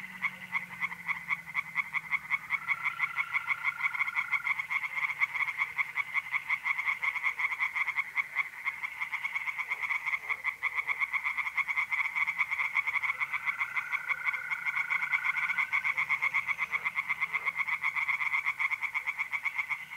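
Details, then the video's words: A dense, unbroken chorus of tree frogs in a pond at night in mid-April, North-East Italy. The rattling croaks go on nonstop, and the smooth, level trill of mole crickets rises twice against them. "relaxing singing tree frogs in pond"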